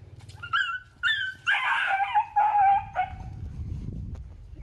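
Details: Golden Retriever giving a few short sharp yelps, then a longer wavering whimpering whine that trails off, over a low steady hum.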